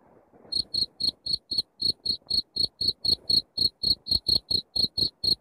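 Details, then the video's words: Loud cricket chirping from a masteran recording for chasing rats from a house: a short quiet start, then bright, shrill chirps about four every second, slightly uneven in spacing. "suara jangkrik masteran untuk ngusir tikus di rumah"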